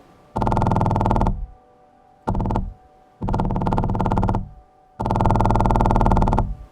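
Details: Four loud, droning synthetic buzzes with dense harmonics and no animal voice, more like an electronic tone or effect than any creature.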